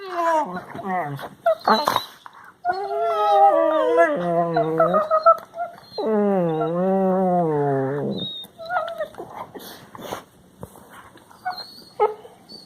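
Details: Several Labrador Retriever puppies making funny noises, recorded March 16, 2020: long wavering howl-like whines lasting up to two seconds, falling in pitch at their ends, mixed with short yips and squeaks, and some human speech.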